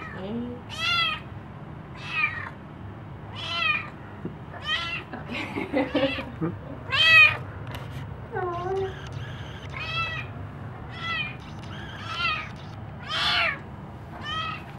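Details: A kitten greets its owners coming home after a short weekend away. It gives loud, rising-falling meows roughly every second, with some softer, lower mews in between. Faint human voices can be heard underneath.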